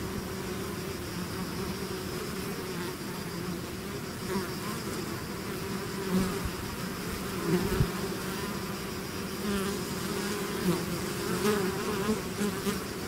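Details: A swarm of bees leaving its hive drones without pause: a thick, low buzzing bed with a thin high tone above it, rising in short louder surges every few seconds.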